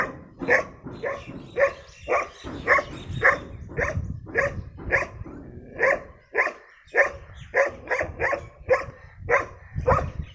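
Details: Brown rare-breed dog, called very dangerous, giving a steady series of loud sharp barks, close together at nearly two per second, with a few quicker yips between.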